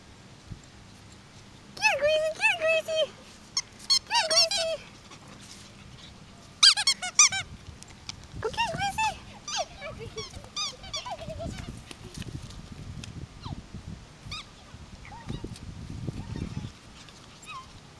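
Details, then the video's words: Yorkshire Terrier puppies playing together indoors: high, thin squeaky yips and whines in short bursts, sliding up and down, scattered across the clip, with a woman talking and encouraging them to bring a toy. "Yorkie Puppies Playing together"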